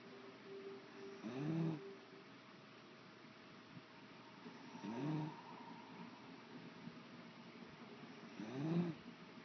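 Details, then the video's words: Beagle asleep and snoring: three low, rasping snores spaced about three and a half seconds apart, each a brief swelling breath over a steady faint background hum. "Snoring Beagle"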